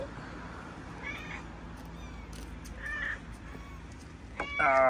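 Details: Stray mother cat in Morocco talking about her family gives two faint short meows, then a louder harmonic meow at the end, over steady low street hum and a human voice.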